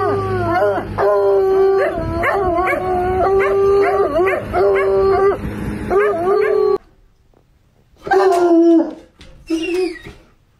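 A Bloodhound bays in a run of deep, mournful barks, each bending in pitch, that blend into a sustained howl. After a brief pause, two more drawn-out, rising-and-falling bays follow.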